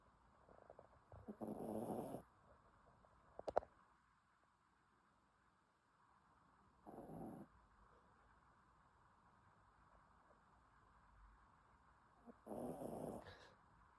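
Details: Sleeping dog snoring, with three soft, breathy, rasping snores spaced about five seconds apart over a low steady hum, and a brief sharp click between the first two.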